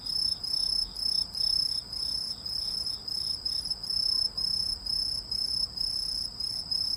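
A cricket sings a steady, high, pure-toned trill broken into rhythmic pulses less than a second apart.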